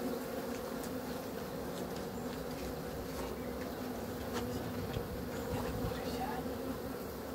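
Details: Honey bee buzzing as a steady, dense hum layered in low bands, constant through the whole stretch with faint clicks above.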